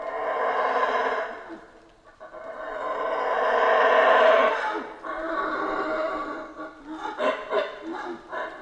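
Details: Rasping, deep roars from howler monkeys in the Central American rainforest. Two long swelling howls build and fade over several seconds each, followed by shorter choppy grunting pulses.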